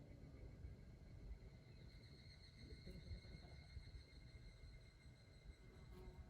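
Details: An evening cicada (higurashi), recorded in 2023, gives a thin, high, ringing call that holds steady over a low rumble.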